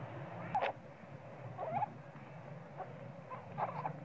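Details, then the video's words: Sweet Pea, a baby monkey, cries loudly for milk because he is hungry while his mother pays him little attention; short squeaky, whining cries come in separate bursts about every second or two over a steady low hum. "Sweet pea spoil baby monkey cry & screaming loudly but mom monkey not care much of him"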